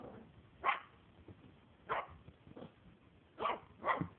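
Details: Barking of a Maltese puppy, female, four months old, at play indoors: four short, sharp, high-pitched barks spaced roughly one to one and a half seconds apart, with soft rustling between them.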